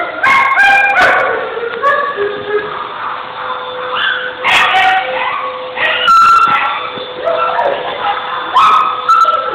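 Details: Female and male husky, same age, playing and flirting with each other; a stream of overlapping howly moans, whines and short yips with bending pitch, broken by brief sharp bursts and a steady faint background tone.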